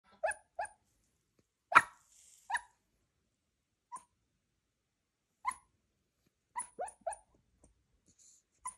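A Cairn Terrier puppy gives soft, muffled yips and whimpers in its sleep, scattered irregularly.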